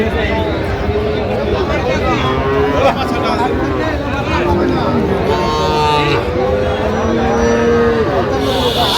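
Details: Low, drawn-out lowing at a Tangail cattle market in Bangladesh where Sahiwal bull calves are traded on 18 December. Several level, sustained moos overlap through the clip beneath constant human chatter and distant vehicle noise.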